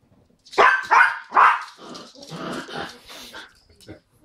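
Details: Yorkshire Terrier giving three quick loud barks, then a rougher, lower growling stretch, with people talking and laughing nearby.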